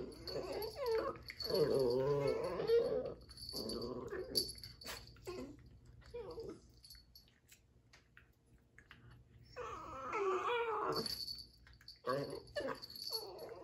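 Dachshunds trade wavering, whiny growls in bursts, with quiet gaps between the outbursts.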